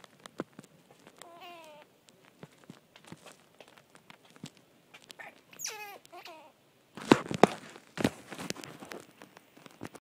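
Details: A baby squirrel clinging to a wall outdoors gives thin, wavering squeaks, very loud to listeners, among soft clicks and scratching.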